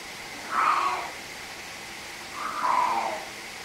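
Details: Male pet cat playing with his orange toy bunny indoors, giving two drawn-out, wavering meow-like calls about two seconds apart, each rising then falling, in a quiet room with faint background hiss.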